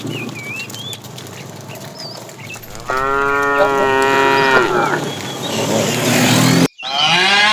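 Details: Afternoon herding of tame cows, a fat bull calling the female: a long, loud, harmonic moo of nearly two seconds, then a second lower moo starting after a brief cut, with bird whistles in the background.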